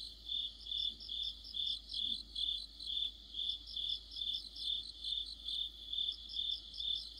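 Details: Crickets with fellow insects in an autumn night chorus: a regular high chirp pulsing steadily, with short higher trilled bursts at the start and end, over faint background hum.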